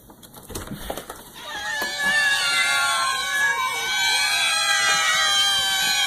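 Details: Cats yowling: after a soft, scratchy opening, several long, drawn-out, wavering nasal tones start up and overlap loudly, held for seconds with slight pitch wobbles.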